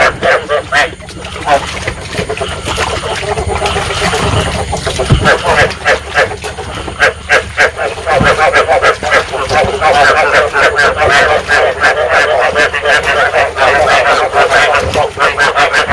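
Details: Recording of rice field frogs used as a trapping lure and to stimulate breeding. Many frogs croak together in a steady, rattling chorus of fast overlapping pulses, with occasional low thumps and splashes.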